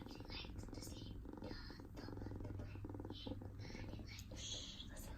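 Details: Silver natural mink and white RagaMuffin kitten, a male, purring while being petted: a steady, low, continuous rumbling hum runs throughout, with a woman speaking softly over it and light handling rustles.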